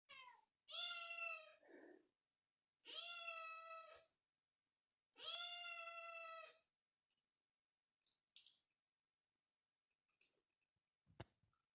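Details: Kitten meowing, possibly asking for attention or being affectionate: three long, strongly harmonic meows roughly two seconds apart, each steady then slightly falling, followed by faint clicks and quiet room sounds.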